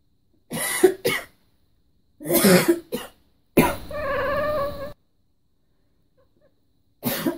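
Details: Domestic cat Callie, indoors, voicing displeasure at a person's coughing: two bursts of coughing, then one drawn-out, wavering meow lasting over a second with a bright harmonic tone, followed by silence and another cough.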